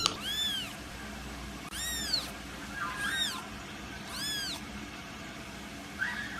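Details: Kitten meowing repeatedly: four clear, rising-then-falling meows about one to two seconds apart, each short and high, in a quiet indoor setting.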